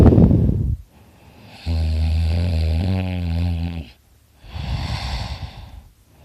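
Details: Dakota, a pet dog, asleep beside his owner and snoring very loudly: a deep rumbling inhaled snore lasting about two seconds, framed by noisy, breathy exhales.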